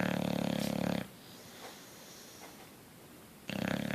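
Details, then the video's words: Asleep bulldog Coach lets out a rattling snore, falls quiet for over two seconds, then starts another throaty, buzzing snore. "Coach the Bulldog asleep and snoring"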